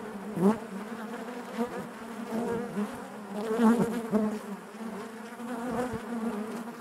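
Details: Natural buzzing of honey bees in the hive: a continuous low hum with rich overtones that surges gently several times, with brighter peaks near the start and middle.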